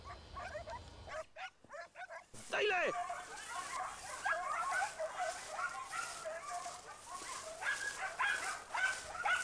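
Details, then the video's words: Segugio Italiano hounds chasing a hare in a vineyard in Italy, early 1990s hunt; after a brief quiet gap, a pack of overlapping yelping bays rises and continues steadily, with some human voices mixed in. "ALLA LEPRE NEL VIGNONE CON INSEGUIMENTI INCALZANTI DEI SEGUGI ITALIANI"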